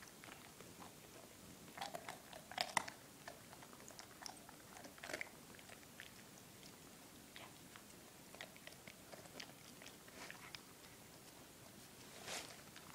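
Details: Drake, a four-month-old German Shepherd puppy, eating Milk-Bone treats indoors: sharp, irregular crunches and clicks of biting and chewing, with louder bursts around two to three seconds and near the end, over a quiet room.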